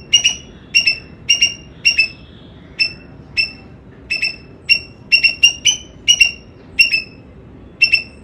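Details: A squirrel barks out clipped, high chirps, often doubled or tripled in fast bursts, roughly fourteen notes across eight seconds, each with a strong harmonic above, over faint low-pitched background noise.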